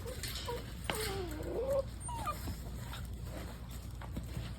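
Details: Eight-week-old Cane Corso puppies whining, with sliding high whimpers and yips, a long wavering whine around one second, over a humming background with people nearby.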